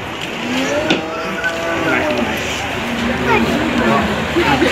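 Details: Sado cattle aged one year three months at the 2018 Sado cattle competition in Manir, Terengganu, Malaysia. A low, drawn-out, slightly wavering moo sounds for about two seconds over steady crowd murmur, a loudspeaker announcer's voice and engine noise.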